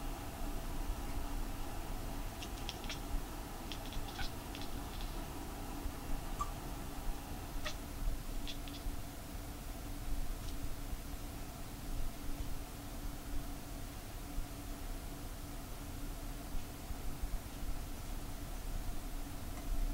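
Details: Lamu, a white short-legged Munchkin cat, chatters while sitting on a chair indoors and gazing outside: bursts of quick, faint clicking ticks cluster early on, then a few scattered clicks follow over a steady low room hum.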